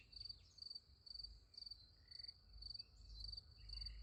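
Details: Night crickets near a sunflower field give shrill, evenly pulsed chirps roughly twice a second, with faint short squeaks from other insects and a soft low rumble underneath.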